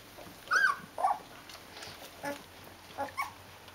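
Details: Rhodesian Ridgeback puppies from a litter, 14 days old and with their mother, give two sharp high squeals close together, then softer brief squeaks, over a quiet background.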